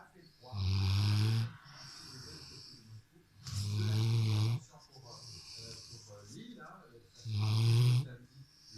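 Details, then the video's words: Rottweiler lying on a sofa, snoring: deep rasping snores about every three seconds, each lasting roughly a second, with softer hissing breaths between. "Rottweiler qui ronfle"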